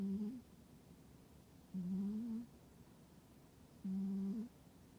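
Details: Pet cat asleep in a warm spot in winter, snoring rhythmically: low, steady, buzzing hums, each ending in a small upward wobble, repeated about every two seconds in a quiet room.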